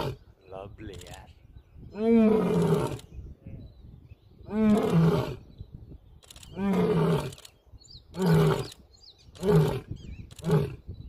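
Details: A young male Asiatic lion resting on a safari track in Gir Forest one morning gives a full roaring bout: long, deep, groaning roars giving way to shorter grunting calls that come faster and faster.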